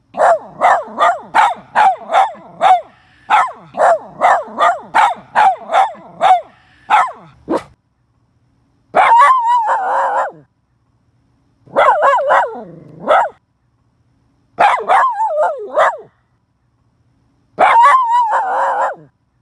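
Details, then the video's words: Poodle dog barking: a quick run of about fifteen short, sharp barks over seven seconds, then four longer, drawn-out yowling barks separated by pauses of silence. "OUÇA O SOM DO CACHORRO POODLE LATINDO"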